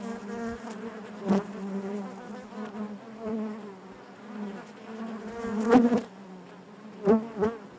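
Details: Honey bee colony buzzing within the hive: an even low hum broken by brief louder fly-by buzzes, clustered near one, six and seven seconds.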